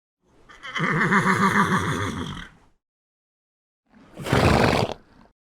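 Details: Horse neighing: a long quavering whinny of about two seconds with a wavering, stacked tone, then after a pause a short harsh snort-like burst.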